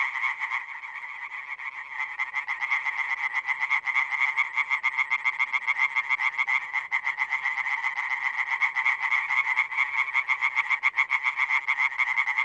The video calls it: European tree frog (Hyla arborea) calling.